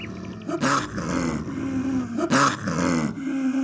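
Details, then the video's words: Snow leopard in the wild: two harsh, breathy bursts about two seconds apart, each followed by a lingering, wavering low moan. "Як звучить сніжний барс?🐯What does a snow leopard sound like?"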